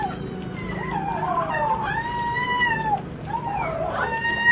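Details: Cat eating fish, not sharing its food with its mother; long wailing meows that rise then sag, two drawn-out calls with a brief gap between, over low background hum.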